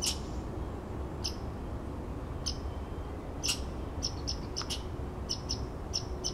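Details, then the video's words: Red squirrel calling outside a window after waking: scattered sharp clicks and brief high-pitched squeaks. These are sparse at first, then come in quicker runs near the end, over a constant low background hum. "Red Squirrel glitching"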